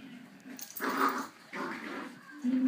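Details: Female Patterdale Terrier puppy playing tug of war with her mother. Throaty, rumbling play growls come in two swelling bursts, then a higher, steadier whining growl at the end.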